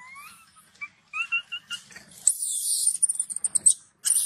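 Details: Young macaque angered after its mother refused to nurse it: soft rising whistled coos and short tonal notes first, then a run of intense shrill pulsing screams and a final high shriek.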